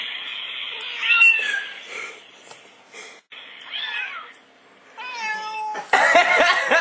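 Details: Oscar the house cat excited by meowing playback: scattered wavering meows with a brief silence midway, then a loud harsh burst of noise at the end.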